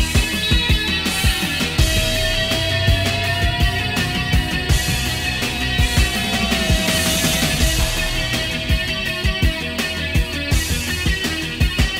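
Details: Loud, driving rock music with heavy drums, distorted guitars and a sustained melodic line fills the whole stretch, with no animal voices standing out.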